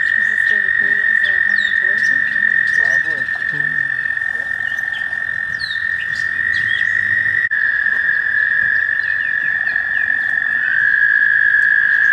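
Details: Many American toads trilling together during mating season at a shallow pond near Warbler Bridge, Wehr Nature Center, on a warm May day. The droning trill holds steady throughout, with quick chirps and rattling bursts mixed in.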